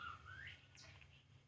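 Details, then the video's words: Baby monkey named Poo crying while drinking milk: a thin, tonal squeal rising steadily in pitch, then a brief high sweeping note fading out, over a low steady indoor hum. "baby monkey Poo, Poo crying drinking milk"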